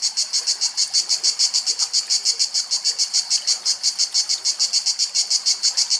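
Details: A cicada sings in Greek nature in summer, a loud, high, buzzing drone pulsing steadily several times a second without a break; no other clear sounds.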